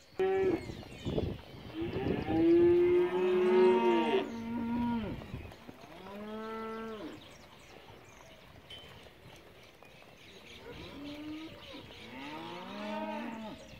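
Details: Angus calves, part of a group of fifty bound for a December auction in Junín, give loud harmonic moos early on, one drawn-out and wavering, followed by fainter, arching moos from further off with gaps between them.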